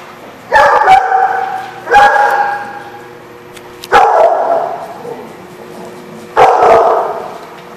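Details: Dog barking, recorded on 13 November 2015. Four loud, sharp barks come at uneven gaps of about one and a half to two and a half seconds, with quiet in between.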